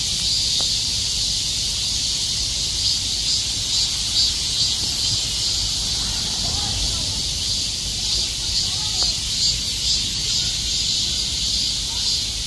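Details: Many cicadas packed together like bees, calling at once in summer, make a continuous shrill hiss; a couple of faint clicks and a brief soft low sound pass beneath the drone.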